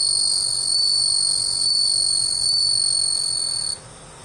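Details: Bell crickets, captive-reared in Japan, recorded on 25 August 2011 in autumn, sing a clear, high, bell-like ringing note held steadily for several seconds.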